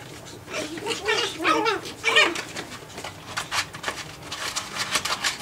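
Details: Japanese Chin puppies at nine weeks of age, playing indoors: a run of high, bending whines and yelps in the first two seconds, then quieter scuffling and rustling sounds.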